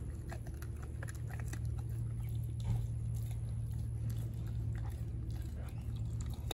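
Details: Denali, a four-month-old American Blue Bay Shepherd puppy, gnaws on a raw turkey neck. Wet crunches and scattered bite clicks sound close up against a constant low background drone in a small room.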